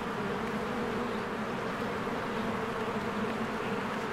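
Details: Honeybees flying in and out of their cozy hive in spring as flowers bloom and trees green; a dense, steady low drone of many wings hums without a break, with a grainy hiss layered above.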